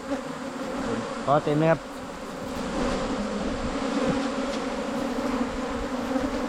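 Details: Asian honey bees from a wild cavity nest during a 2022 honey hunt: a steady, low droning hum with a fixed pitch, briefly interrupted by a man's voice speaking near the start.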